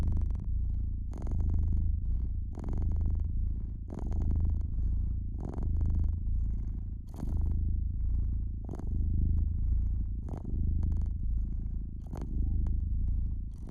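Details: Domestic cat purring beside a fireplace: a steady low rumble that swells and fades in slow breath cycles, roughly every second and a half, with sharp crackles and pops of burning wood scattered throughout.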